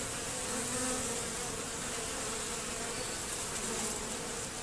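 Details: Swarm of honey bees buzzing at a hive entrance during robbing, the entrance reduced and screened; a steady, thick drone with a clear low hum line and hissy wingbeat texture, level and continuous.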